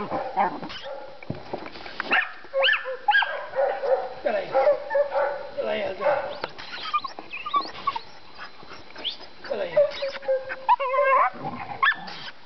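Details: Seven-month-old dog barking at wild boar in a boar pen on 27 January 2011, urged on by people; sharp, high, yelping barks come in quick irregular bursts, with men's voices shouting encouragement between them.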